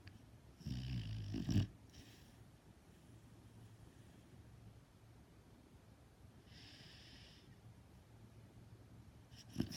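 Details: Lulu, a dog, snoring as she dreams: a loud, rough, rattling snore near the start, then a low steady hum of breathing, another breathy hissing exhale about five seconds later, and a short snort at the end.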